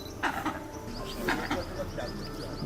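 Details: In the Jhirna Zone of Jim Corbett National Park, Uttarakhand, in the morning, a large langur sitting by a dry riverbed gives continuous loud, harsh, cough-like alarm barks in short bursts; a jackal and a tigress are nearby; finding: langur.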